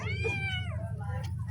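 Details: Cat meowing: a single long, tonal meow that holds steady, then bends downward before fading, over a constant low hum.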